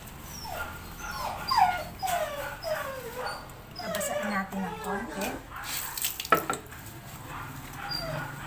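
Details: Belgian Malinois during a shower, whimpering in a run of high, thin whines that glide downward, repeated roughly every half second. Human voices and sharp splashing knocks are mixed in.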